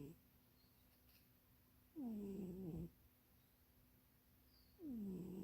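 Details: Cat named Munchie asleep and dreaming in a box too small for it; rhythmic snores, each a falling, nasal harmonic rasp about a second long, recurring roughly every three seconds over quiet indoor background.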